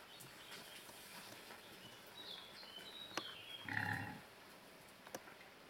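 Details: Wild pigs that come every day to feed on fresh grass and leaves, recorded May 31, 2019: one short, harmonic squealing grunt stands out midway through the quiet outdoor scene, after thin whistled bird notes and a few scattered clicks.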